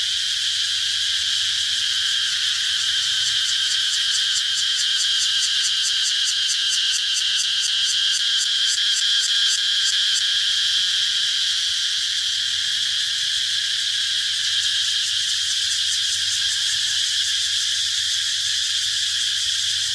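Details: Dense high-pitched cicada chorus, a constant sizzling drone with a stretch of rapid pulsing throbs early on, then smoother buzzing, over a faint low background hum.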